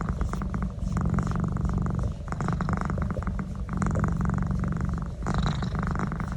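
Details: Domestic cat enjoying a neck massage, purring steadily in a low rumbling drone with breathy pulses rising and falling with each breath, plus soft scratchy rubbing noises from the massage.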